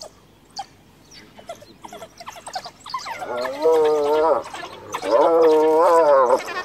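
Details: Hyena mother cornered by wild dogs near her dead cub, calling for clan backup: scattered short clicks and yelps, then two long quavering, tremulous harmonic cries of over a second each in the final half.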